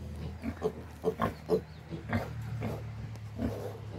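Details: Farm pigs grunting in quick bursts, several short low grunts close together in the first two seconds, then softer grunting over a constant low drone.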